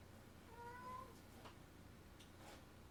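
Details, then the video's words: Domestic cat indoors, playing with boxes and paper, gives one short, faint, rising meow, followed by soft rustling taps from paper or cardboard. "Noisy Cat"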